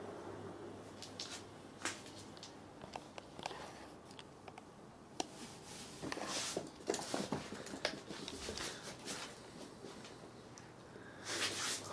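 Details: Soft rustling, shuffling and scattered clicks fill a quiet small room, with no voice from any animal.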